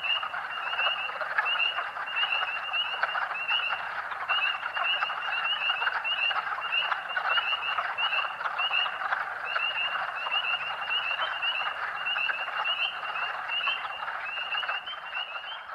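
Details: Early-spring chorus of thousands of spring peepers, Huntingdon County, Pennsylvania, March 2012: a long unbroken stretch of shrill upslurred peeps, many overlapping, above a thick continuous hum of farther callers.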